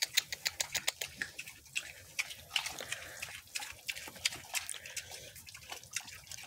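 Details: Several mini pigs munch celery: sharp crunching bites come in a fast, fairly regular rhythm, several per second, with a softer smacking underneath.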